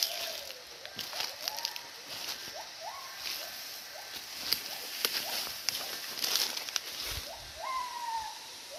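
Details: Wild gibbons calling nearby in forest hills, heard but unseen as the recordist edges closer hoping to spot them; clear rising whooped notes, some sliding upward in pitch, repeated every second or so over a dense, steady insect hiss and soft footsteps.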